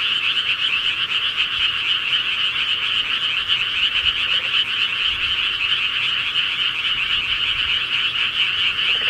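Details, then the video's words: Rural frogs chorusing at night, many callers merging into one constant, pulsing trill held evenly throughout, the background otherwise quiet. "시골개구리 소리"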